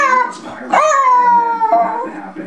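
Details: An elderly female Jack Russell Terrier gives a drawn-out, high whining bark that slides slightly downward, responding to excited key words like "hungry", "walkies", "goodies" and "go for a ride".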